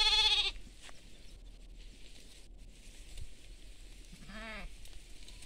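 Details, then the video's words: Sheep and lambs on farmland: one loud, harmonic-rich bleat at the start, then a fainter, shorter bleat near the end, with quiet field background between. "Sheeps & baby sheeps in agriculture land"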